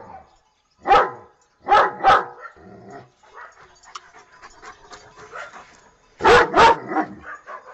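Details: Dog barking in short loud bursts, with a single bark and then a double, softer mixed sounds in between, and a final pair of barks.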